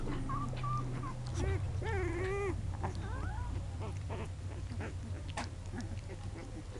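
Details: Young American Pit Bull Terrier puppies from a litter of nine born 24 January in Monterrey, Nuevo León, Mexico give scattered high whines and arched squeals, some drawn out and wavering, against a constant low droning hum.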